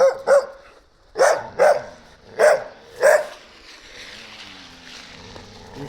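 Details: A young stray Gampr found on the street in Abovyan, Armenia, barks six times: two early barks, a quick pair, then two more spaced about half a second apart, followed by quiet background hiss.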